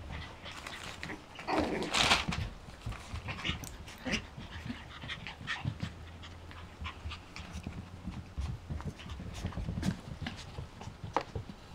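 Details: Belle, a seven-week-old Yorkshire Terrier puppy among a litter, panting softly with a brief louder burst near two seconds, surrounded by scattered clicks and rustling handling noises.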